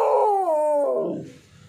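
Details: Kombai dog, apparently named Vaisu, producing a strong, tonal howl that holds a steady pitch and then drops in two steps before fading into low rumbling noise.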